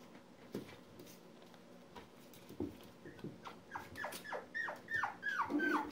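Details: Poodle puppies, one month old, indoors: a few soft knocks and rustles, then a quickening run of high, thin whimpers that slide downward in pitch. The whimpers grow louder and closer together over the last two seconds.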